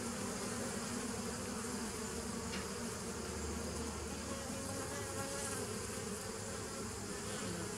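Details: Steady massed buzzing of bees, 27 September 2018: a continuous low drone layered with broad hiss, a faint lower hum swelling in midway, loudness flat and unbroken across the whole stretch.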